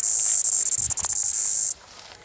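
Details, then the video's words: Cicadas in the bushes of a Panchkula forest, recorded 9 April 2021, give an intense, shrill continuous buzz with brief flickers in loudness, then stop abruptly, leaving quiet forest background. "Cicada Sound and video| Cicadas buzzing in the bushes of panchkula forests on 9th april, 2021"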